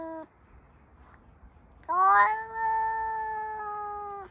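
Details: A black-and-white male neighbourhood cat, recorded on an iPhone 14 Pro Max, gives a brief faint note and then a long, steady, drawn-out meow lasting over two seconds that holds an even pitch before fading.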